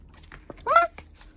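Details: A baby Pomeranian puppy gives one short, rising, whiny yip with a clear tonal quality, lasting about a quarter second, surrounded by faint soft background noises and brief murmurs.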